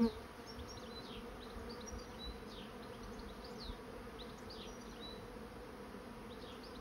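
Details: Honey bees swarming into a trap give an even, continuous drone with layered low tones and no break. Many small high chirps and downward sweeps scatter over the top throughout.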